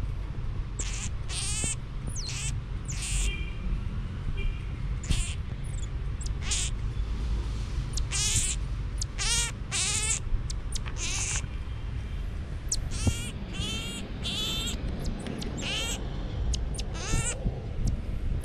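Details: Pet marmoset playing on a bed with a family, giving many short high-pitched chirps and squeaky calls in quick bursts across the clip, over a steady low background hum.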